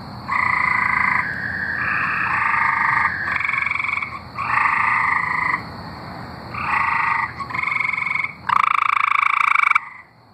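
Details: Tree frogs singing in Arkansas: several frogs trade loud, buzzy trills about a second long, overlapping and alternating with brief gaps, with a longer, louder burst near the end.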